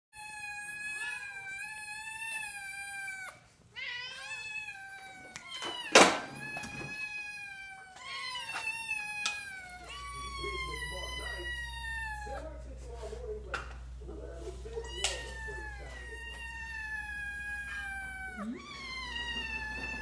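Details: Hungry Ragdoll cat, a newcomer to a group of cats, meowing loudly and repeatedly: long drawn-out harmonic meows, some falling in pitch, with a sharp knock near six seconds and a low hum in the room.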